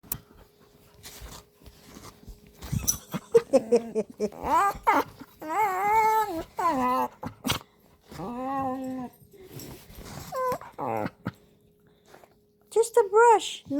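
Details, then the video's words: A Bernedoodle whines while being brushed as a goldendoodle named Sage is shown to reassure him: drawn-out, wavering high whimpers in several bursts, some rising then falling, with a woman's calm voice speaking between them. "#bernedoodle whines during brushes"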